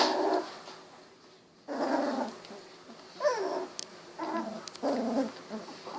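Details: Golden Retriever puppies, 16 days old, eyes recently opened, wiggling and walking about; several harmonic whining and growling bursts of uneven length come in irregular sequence, separated by short quiet gaps.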